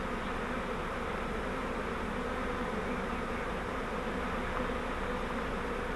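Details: Many honeybees of a swarm taken in a flowerpot swarm trap and moved into a Langstroth hive, giving an unbroken thick buzzing hum at steady loudness throughout.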